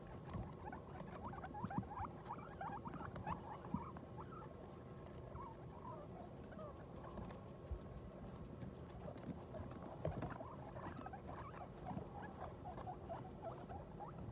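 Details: Newborn New Year's litter with their guinea pig mother after the birth; quick, faint squeaky calls rise and fall in short bursts, some slurred upward, among scratching patter and a low background drone.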